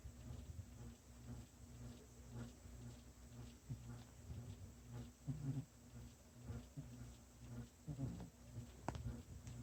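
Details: Kitty asleep and snoring in a quiet room, slow low rumbles rising and falling roughly once a second, uneven in strength, with a sharp click near the end.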